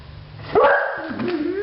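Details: Pet dog Bailey Blue, excited by a dog outside, gives one sudden drawn-out howl that starts sharp and settles into a long, slightly wavering tone.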